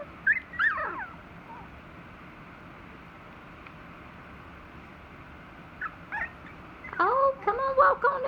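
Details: A litter of three-week-old Dachshund puppies gives high, wavering squeals and whines, a short burst at the start, then near silence, then a busier cluster of overlapping squeaks at the end, with soft human talk nearby.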